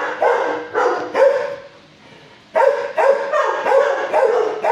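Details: Adult shelter dog, six years old, barking from its kennel at a person before calming down; rapid, strong barks run together in a harsh burst, pause for about a second, then resume in a quick series.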